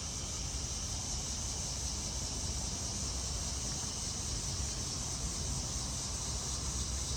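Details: Cicadas, locally called locusts, singing unseen high in the trees just after 8pm on a first Friday in August in Maryland, US; a steady, dense high-pitched buzzing chorus fills the summer evening over a low rumble of distant traffic.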